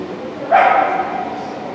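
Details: Shetland Sheepdog named Катрилонс Скуби Ду at an Obedience-1 competition, St. Petersburg Cup, 11 February 2018: one sharp, ringing bark that rises quickly and trails off over a steady indoor background murmur.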